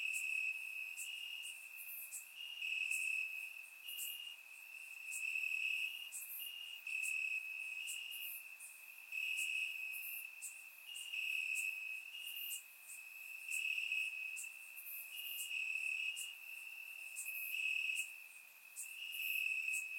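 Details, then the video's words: Summer-night crickets chirping in grass, Bulgaria, surround microphone; a sustained shrill trill runs throughout, its loudness waxing and waning in waves every couple of seconds, with quick repeated pulses layered on top. "Cricket Sounds - Crickets Chirping at Night"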